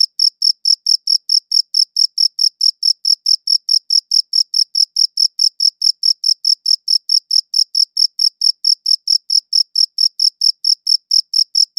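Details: Continuous cricket chirping in high-quality audio: crisp, high, evenly spaced pulses at roughly four to five per second, with a thin upper overtone and quiet background throughout.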